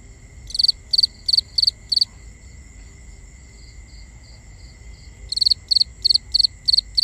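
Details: Nighttime crickets in a binaural nature recording: a run of five bright chirps, soft fainter chirping in the pause, then a second burst of six rapid high chirps, steady faint hum behind.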